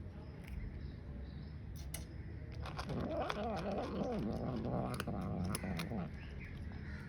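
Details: Grey and white female cat eating food, giving a warning sound as a ginger cat lurks nearby; a low, wavering, moaning growl rises in the middle, layered over chewing clicks and indoor background hum.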